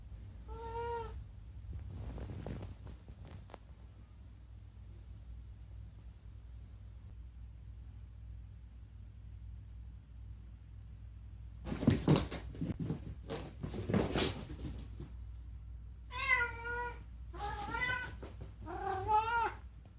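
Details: Talking rescued house cat indoors, meowing for two reasons it often calls for lately; a short meow near the start, then a cluster of loud chirpy meows and trilled calls in the last eight seconds, with quiet room hum between.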